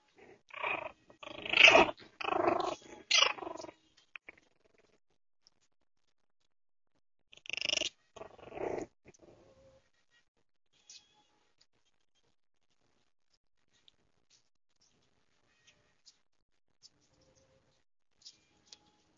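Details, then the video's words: Baby puppies crying indoors. Loud, strained, broadband whimpering cries cluster through the first four seconds, then a shorter burst near eight seconds. After that it is near silence with a few faint clicks. "CRYING BABY PUPPIES"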